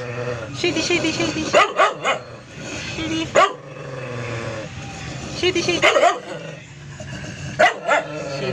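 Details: Shady, the doodle poodle, lets out clusters of brisk barks: a quick run near the start, another pair midway, a final bark near the end, while someone keeps talking and calling "Shady boy" throughout.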